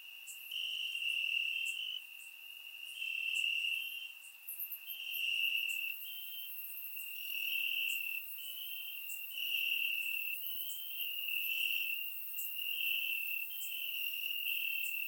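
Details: Crickets in summer-night grass in Bulgaria keep up a shrill continuous trill, swelling in roughly two-second waves with short quieter gaps; other distant crickets add faint high clicks throughout.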